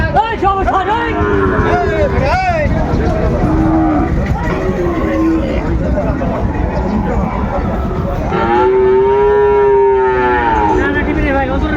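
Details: Sahiwal cattle at a busy livestock market in Munshiganj on 28 February 2025, where a Sahiwal breed bull was bought; a drawn-out, low moo swells near the end over steady crowd chatter and talking voices.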